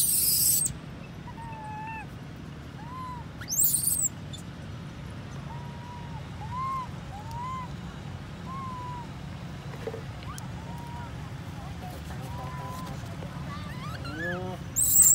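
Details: Baby monkey Jessie crying because her mother Sasha is not near and another monkey group came, leaving her scared; thin arched whistled cries repeat every second or two over steady hiss, with loud noise bursts at start and end.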